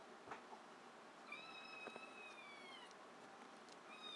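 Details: Rescued Abyssinian mix kitten calling indoors with one long, high, drawn-out meow that holds steady then slowly falls, followed by fainter short squeaks; quiet room.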